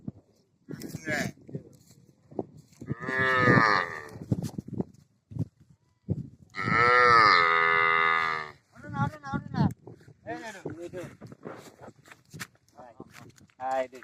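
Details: Cattle, a cow with two calves: two loud, long harmonic moos, the second drawn out for about two seconds, with people talking in Bengali before, between and after the calls.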